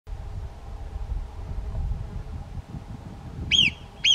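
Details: Marmot standing lookout on a rock beside a mountain trail toward Bivacco Boerio, giving its alarm whistle at an approaching hiker: after low rumbling background noise, two sharp, piercing, arched whistles come about half a second apart near the end.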